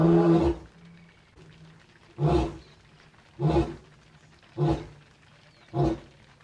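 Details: A male lion in Naboisho Conservancy, Maasai Mara, Kenya, gives a deep, moaning roar, then a run of short, booming grunts about a second apart, on a rainy, chilly late evening with his pride roaring nearby.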